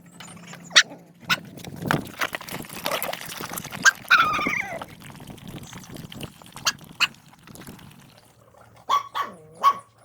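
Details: Hungry dogs at feeding time. Scuffling and chewing noise fills the first half, one bright whine cuts through, then a run of curved, wavering whimpers closes the recording, all over a constant low hum.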